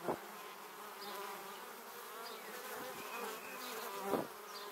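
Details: Many honey bees heading to their beehive pass very close to a Samsung Gear 360 camera: continuous layered humming of the swarm, with brief louder close passes at the start and near four seconds.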